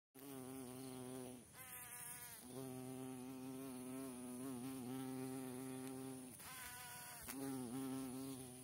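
A carpenter bee drones with a deep, steady buzz that wavers in pitch as it flies.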